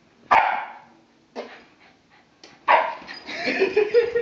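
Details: Pet dog Bentley reacts to fart sounds with three loud, sharp barks spaced about a second apart, the last trailing into a rough, whining tail.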